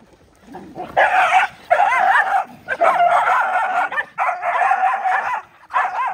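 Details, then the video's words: Poor dogs fed and fighting over the food: loud, sustained snarling and wavering growl-barks in four long bursts, rough and noisy with warbling whine-like tones. "Feed Poor Dog and They Do fight"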